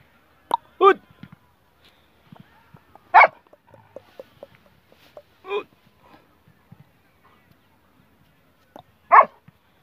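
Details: German Shepherd from a Peshawar, Pakistan sale, giving four single loud barks spread across roughly ten seconds, quiet gaps in between with faint clicks and murmurs, "Jimmy" called nearby.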